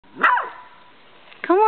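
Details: Nervous, skittish female puggle, unsettled by the camera, gives one short sharp bark, then a brief tonal whine starts after a quiet gap.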